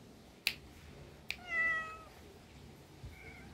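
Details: Cat meowing once, a short bright call lasting about half a second, preceded by two sharp clicks and followed by a faint brief chirp in a quiet indoor setting.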